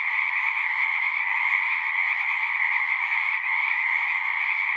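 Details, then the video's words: Frog chorus at a pond in a horse pasture, many frogs calling at once in a dense, steady trilling wall of sound with two bright bands, continuous without pauses. "Frogs singing"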